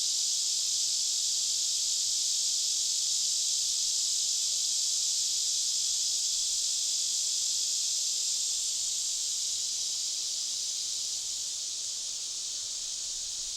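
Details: Forest cicadas several miles from the trailhead keep up a continuous shrill, hiss-like buzz, dense and even, easing slightly in loudness over the final seconds; nothing else is clearly heard beneath the insect chorus.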